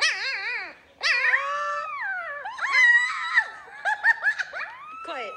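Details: Siberian Husky in the morning, giving a run of tonal, yodel-like howls and whines that bend up and down in pitch. Several drawn-out wavering notes are followed by shorter choppy yips toward the end.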